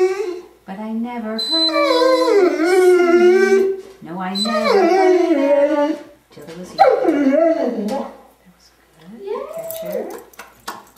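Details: A 10-year-old female Curly-Coated Retriever howls in long, wavering tones, singing along with a person's singing of "Till There Was You" as part of her nightly routine.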